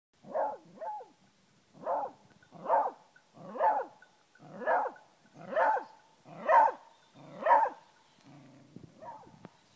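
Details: A beagle baying at a wild boar, holding it in place with steady barking: about nine loud, harsh barks spaced roughly once a second, each sliding down at the end, then a few softer yelps as the bout fades.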